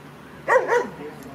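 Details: Kleiner Münsterländer puppy Franzi, 16 weeks old, at her first play session with mostly adult dogs: two quick, yelping barks in close succession, the second slightly longer, over faint background noise.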